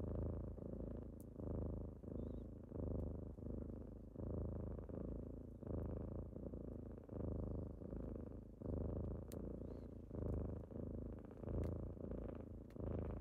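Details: Steady, resonant kitten purr during a typical morning wake-up, beating in regular breath-paced swells about forty times a minute, with a few faint clicks scattered throughout.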